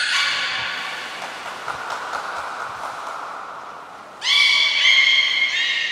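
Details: Belugas Gray, Nana and Mirai at Port of Nagoya Public Aquarium, recorded during training on 6 August 2023. A long, slightly descending harmonic tone with reedy overtones fades out. A loud, sudden, bright stacked call then starts and holds steady to the end.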